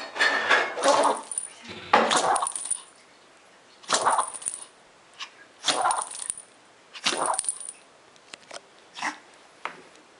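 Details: Suzu, a female pet dog, caught in a sneezing fit she cannot stop: a rapid series of sharp, hissing, noisy bursts, about six strong sneezes roughly every one to two seconds, with softer snorts between.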